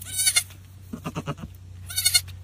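A goat bleats three times, each a nasal, wavering cry with a shaky, pulsing middle.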